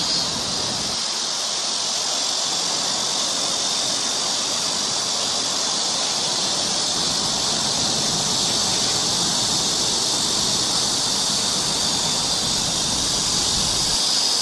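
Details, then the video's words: Cicadas singing along a summer forest trail in Seoul, Korea: a dense, unbroken high-pitched buzzing drone that holds steady in loudness for the whole stretch, with no pauses or other clear sounds above it. "cicada sound"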